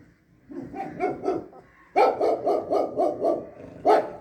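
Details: Dog among puppies offered for sale in India, breeds listed including Labrador, German Shepherd, Beagle, Pug, Husky and Pitbull; soft muffled barks, then a quick run of about seven sharp barks, one more bark at the end.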